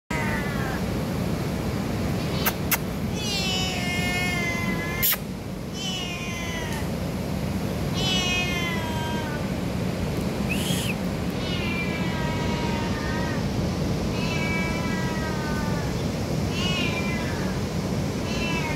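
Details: Hungry domestic cat meowing repeatedly, about nine harmonic meows spaced one to two seconds apart, some rising then falling, over steady low rumbling background noise with a few sharp clicks.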